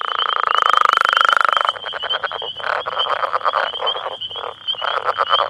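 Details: About ten male Northern Leopard Frogs, just woken in breeding season, call for females in their territory near a road amid turf disputes, giving a long rattling snore, then low chuckling clucks.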